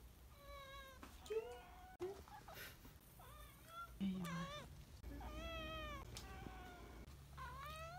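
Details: Welcome home meowing from Tybalt the cat, recorded on an everyday return over four months: several loud, bending meows, some arching up and down, delivered in quick succession amid soft low background sounds.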